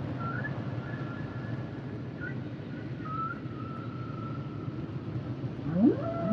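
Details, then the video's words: Humpback whale song underwater: long thin tonal lines drifting between high and mid pitch, faint for most of the span, then a louder rising upsweep near the end, over a constant low ocean rumble. "Sounds and Songs Of The Humpback Whales"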